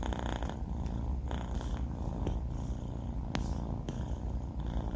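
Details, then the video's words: A four-month-old male cat named Banh Mi snores in his sleep, a low, constant rumbling hum, broken only by a couple of brief sharp ticks near the middle. "snoring cat | sleeping cat"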